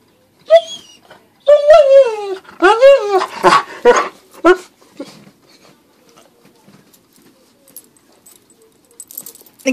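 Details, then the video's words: Tank, a dog jealous of a squirrel its owner is playing with, whimpers and whines in a quick run of wavering, falling cries mixed with short yips, then fades to quiet indoor rustling. "Dog is jealous of the squirrel"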